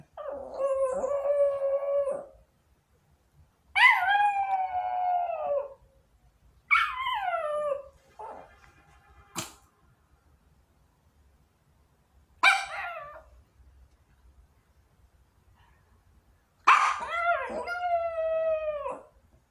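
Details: Small long-coat Chihuahua, a female pet dog, howling wolf-like while waiting at the front door about an hour after the father left for work; drawn-out harmonic howls of about two seconds, falling at the end, separated by pauses, one sharp click midway.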